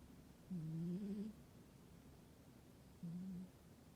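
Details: Sleeping domestic cat in a warm room in winter, giving two low, droning snore breaths: a longer wavering one followed by a short steady one, separated by about two seconds of quiet.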